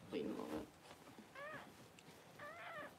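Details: Newborn Cavalier King Charles Spaniel puppy during mother Paris's home whelping of her first two pups: after a burst of human talk, two short arched squealing cries with stacked overtones, about a second apart.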